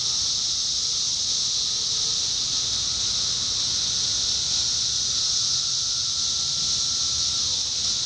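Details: Indiana summer 2021 chorus of 17-year cicadas, a loud continuous high buzzing wash with a long sustained lower whine running almost the whole stretch before dipping near the end.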